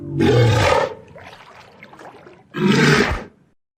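A walrus gives two loud, deep, roaring bellows, each lasting about half a second.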